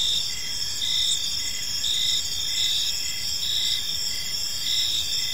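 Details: Many crickets chirping in an evening park: bright, piercing trills sustained at high pitch with occasional breaks, accompanied by evenly spaced lower pulsed chirps and a quiet low background murmur.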